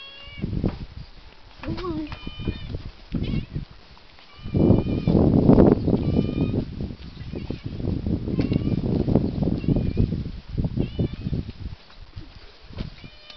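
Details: Virtually homeless cat being fed, as it is every day, recorded 30 June 2018; several short rising meows come through, largely overlaid by a person talking to it in the middle.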